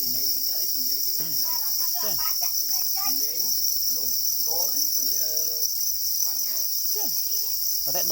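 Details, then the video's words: Black crickets, also called para crickets, calling angrily over their eggs: a steady, shrill high-pitched trill runs unbroken through the whole stretch while human voices talk continuously underneath. "Black crickets or para crickets are crying angrily for their eggs"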